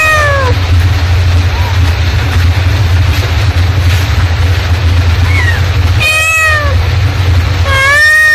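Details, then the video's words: Mother cat calling with a short falling meow at the start, a long quiet stretch over low hum, then two strong arching meows near the end. "suara induk kucing memanggil"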